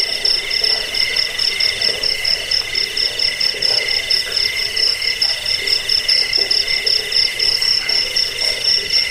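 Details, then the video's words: Cricket calling, from a track intended to scare rats, help sleep and train birds: sharp, rapidly pulsed high chirps repeated without pause over a steady, layered shrill drone. "Suara jangkik pengusir tikus pengantar tidur"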